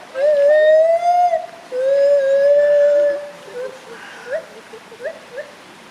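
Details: Gibbon calling with two long, pure whooping notes, each swelling and rising slightly over about a second and a half, then a string of softer, short upslurred hoots against a steady rushing background.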